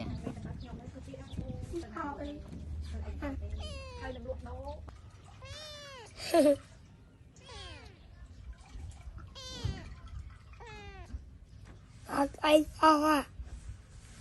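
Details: Kitten meowing to greet people while scratching: a run of clear, drawn-out meows that rise and fall, a few loud ones near the end, with a person talking in Thai in between.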